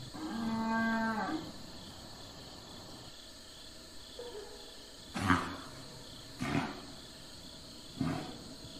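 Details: A domestic cow opens with a strong, low, harmonic moo lasting over a second. After a quiet pause, three sharp breathy snorts or grunts follow at roughly one-second intervals.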